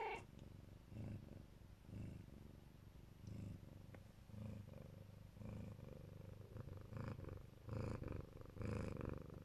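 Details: Mother Siberian cat of the Neva Masquerade colour, guarding her babies, gives a deep rumbling purr that swells and fades roughly once a second in an even, continuous rhythm.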